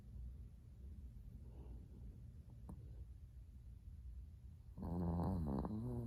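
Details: Sleeping Chihuahua named Latte, adopted from a Kaohsiung pet expo, heard at 05:42 on 13 December 2019, sixth day after arrival; soft breathing hum, then one long, loud, buzzing snore near the end.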